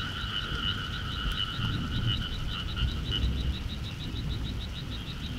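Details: Frogs croaking in the countryside in summer, described as noisy: a dense, continuous chorus of rapid, pulsed croaks forming two steady mid-to-high tones, over a low rumbling background.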